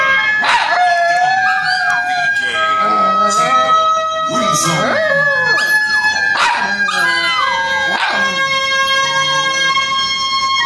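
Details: Pet poodles howling together as if singing like a wolf: wavering, sliding howls rise and fall in repeated bursts of about a second, over steady sustained musical tones in the background.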